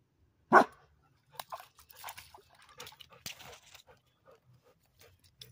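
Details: A single loud bark from Toby the Labrador Retriever while he tries to swim, followed by soft scattered splashes and rustling, with a person speaking nearby.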